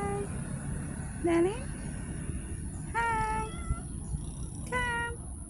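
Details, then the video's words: Street cats mewing three times, roughly every one and a half to two seconds: first an upward-sliding meow, then two steady, tonal mews, with a low constant rumble underneath. "the life of a street cats || cat lovers viral cat | meowing"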